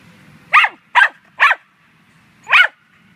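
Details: Dog at a dog run chasing squirrels, 9 May 2013: three brisk barks about half a second apart, a one-second pause, then a single final bark; faint low hum underneath.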